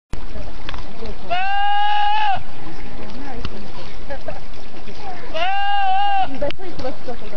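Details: Goat yelling in a loud, human-like way: two long, harsh, strongly harmonic cries of about one second each, roughly four seconds apart, level and slightly arched in pitch, over steady background noise.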